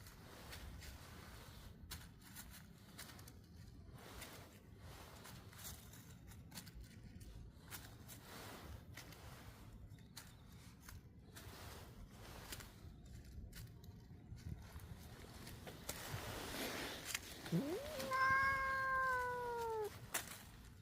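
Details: A cute cat with a small stone placed on its head stays quiet amid soft rustling and faint footsteps, then gives one drawn-out, falling meow near the end.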